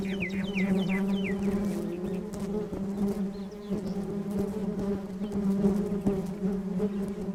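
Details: Honeybees gathering from flowers in a flower bed hum with a steady, low, droning buzz, joined early on by a few quick bird chirps.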